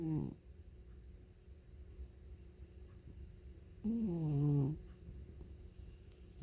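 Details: Sleeping feral cat from Northwestern Oregon snoring: a brief low rasp at the start, then a longer deep, rumbling snore after a quiet pause, in an otherwise still room.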